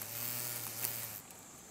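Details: Rhomborhina unicolor, a green drone beetle unable to fly because of a misshapen left hindwing, filmed in Japan in late August 2012: a steady low whirring drone of wingbeats that fades after about a second.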